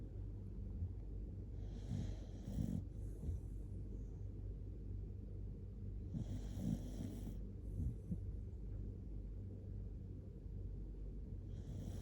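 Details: Shiba Inu named Kotetsu sleeping cuddled up against someone indoors, snoring loudly; deep rasping low snores come in bursts roughly every four seconds, with soft breathing between them in a quiet room.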